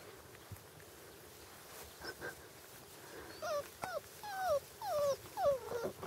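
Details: Hungarian Vizsla puppies, five weeks old, during early hunting imprinting: after a quiet start, a run of high whimpers and whines, each sliding up then down, follows in quick succession through the second half over faint outdoor background noise.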